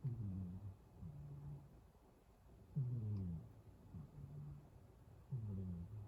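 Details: A pet cat snores through several low breaths, each one a deep rasping buzz that fades into a softer hum. A quiet pause falls midway, and no other sounds are heard.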